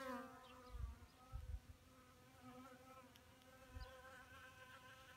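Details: Honeybees drinking water at a small pond in May 2018, perched on rocks and dirt; a steady, low, droning hum with many even overtones, some fluctuation as bees move, and a few dull low thumps.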